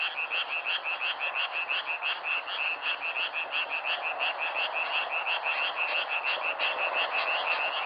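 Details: Frogs croaking in nature, self-recorded: a quick, regular series of bright, clicking notes about three per second over a soft hiss of background callers.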